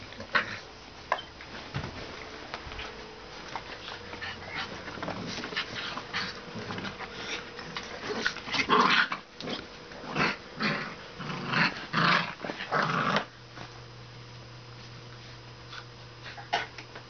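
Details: Pit Bull-Shar Pei mix puppies, two of them, play fighting inside, with a run of quick broken growls and whimpering yelps between eight and thirteen seconds, then a low steady hum.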